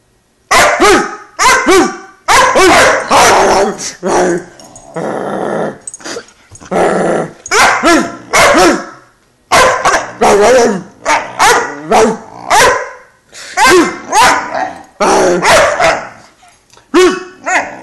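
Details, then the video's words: Phantom, an 11-week-old Great Dane puppy, throws a temper tantrum after being made to get on the couch by himself: a loud, nearly continuous run of high yelping barks and rough growls in rapid bursts, barely pausing. "11 week old great dane temper-tantrum"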